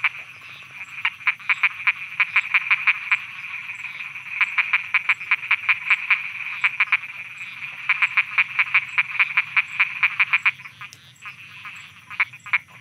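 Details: Night frog chorus in Thailand, a long rapid train of sharp, clicking croaks in two extended bursts separated by a short pause, with faint constant high insect tones behind.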